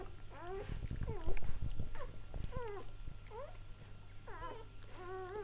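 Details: Newly born Labrador puppies squealing in short falling whines, about three or four per second in bursts, with rustling and thuds from movement and a low background hum.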